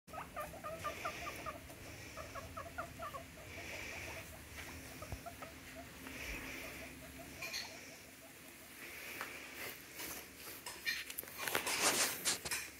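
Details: Guinea pig named Peanut, a female coming to say hi and look for food, making short repeated squeaky chirps in quick bursts, asking to be fed; later handling rustles and clatter.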